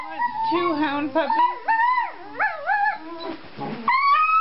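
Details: Playful howling from two 4-month-old male Treeing Walker Coonhound puppies: wavering, bending tones rise and fall in a run of drawn-out howls and whines, ending on a long rising note.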